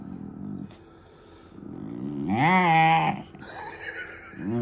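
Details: German Shepherd puppy making funny noises: soft low grumbles lead into a loud rising-then-falling yowling whine, followed by a short low rising grumble at the end.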